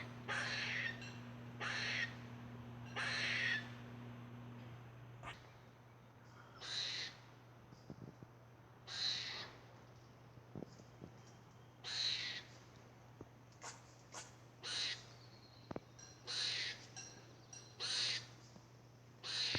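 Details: Squirrel producing strange noises: repeated harsh, wheezing bursts roughly every one to two seconds, mixed with scattered sharp clicks, over a low steady hum.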